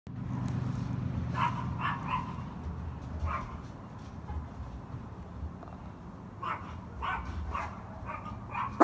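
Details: A Yorkshire terrier gives short, sharp, high barks in scattered bursts over a low hum, as one dog barks and another tries to figure out what it is barking at.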